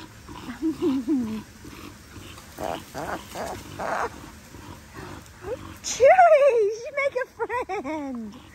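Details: Playtime in the big dog paddock with Linc, a cattle dog pup, among bigger puppies: soft low grumbles early, then loud sliding yelps and wavering whines in the last few seconds.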